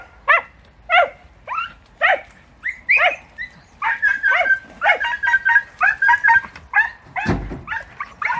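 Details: Podenco hounds in Campo Arañuelo, Spain, flushing game from brambles, give sharp, high, yelping barks in quick succession, several dogs overlapping.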